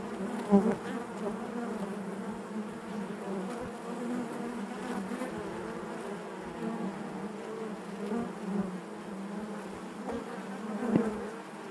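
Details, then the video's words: Steady communal buzzing of honey bees within the hive, a fairly even low hum with faint harmonic layers and only occasional small bursts of louder buzzing, quieter and calmer overall. "bees therapy hive natural buzzing sound"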